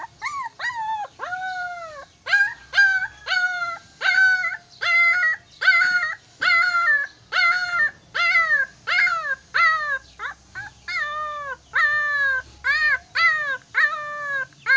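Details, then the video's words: Mixed-breed puppy in Silay City, Philippines, screaming nonstop: shrill, harmonic wails that rise and fall, some drawn out longer, repeated steadily with brief gaps over about fifteen seconds. "Mixed Puppy, The Voice, Screaming"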